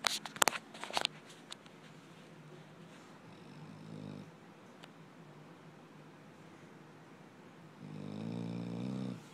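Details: Sleeping dog snoring indoors: a few sharp clicks at the start, then two long, buzzy, rumbling snores, one in the middle and a louder one at the end, against a quiet room hiss.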